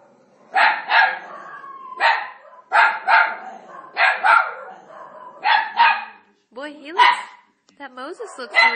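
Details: Italian Greyhound named Marty barking at Moses on TV in The Ten Commandments, a figure he does not like. Loud barks come in quick doubles about every second or so, with a man's questioning voice near the end.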